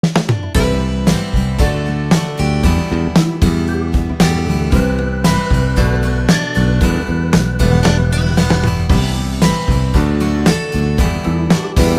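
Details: Loud backing music with guitar, bass and drums plays without a break, and no animal sound comes through.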